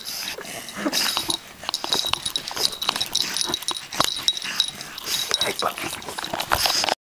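An English Bulldog makes short, scratchy snuffling and whimpering sounds while people talk nearby.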